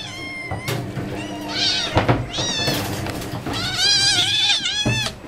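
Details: Hungry tigers at feeding time give loud, high, wavering mewing calls rich in overtones. Several calls overlap and rise and fall in quick succession, with short thumps and clatter underneath.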